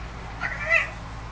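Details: Pet house cat, coaxed indoors by its owner to 'say fridge' in Hebrew, answers with a short, bright meow that rises then falls in under half a second, with the owner calling 'come, come' before and urging 'again' afterward.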